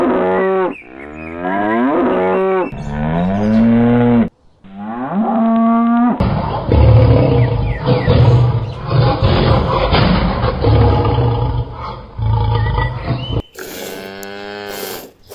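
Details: Cattle lowing in a farm animal compilation: several deep, drawn moos with a wavering tone open and close the stretch, while a rough, rumbling low-pitched segment fills the middle.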